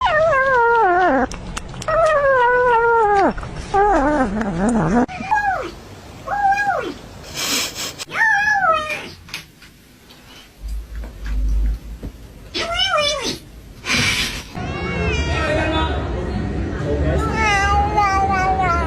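A kitten gives wavering, high mewing cries and growly murmurs while it eats.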